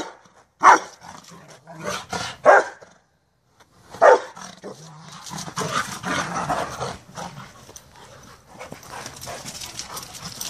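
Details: Merlin and Sonja, two Rottweilers, chasing each other in play: three loud barks spaced over the first few seconds, followed by a rougher stretch of mixed growly vocalising and scuffling noise.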